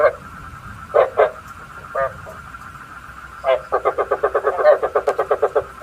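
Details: Decoy frog calling for night trapping: a few separate gruff croaks, then a fast, even train of about twelve pulsed croaks, with a constant thin high tone running underneath.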